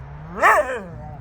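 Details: A single Jindo dog on a free walk gives one short, arched, ringing yip-bark that rises and falls within half a second, over a faint hum.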